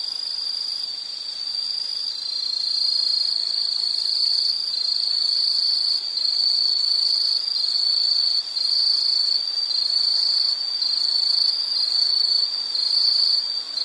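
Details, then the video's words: Shrill insect trill held at a high pitch, pulsing in short beats about four times a second, growing slightly louder after the first few seconds, with fainter higher overtones; a relaxing nature-sound backdrop. "Sound · Nature Sound of nature sounds scenery L · insect"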